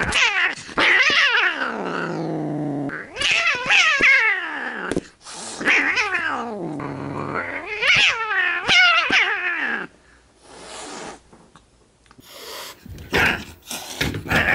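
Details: Stray cat rescued after crouching on a stairway of an apartment building, lost or abandoned: long wavering caterwauling growls that swoop down then up, in bursts of a few seconds, followed by quieter rustling and handling noise.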